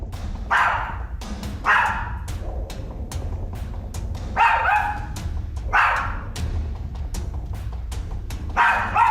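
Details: A little dog in a home barks incessantly in short, sharp bursts every second or two, growling and wagging its tail while staring into the living room, over a low music bed; owners suspect a ghost.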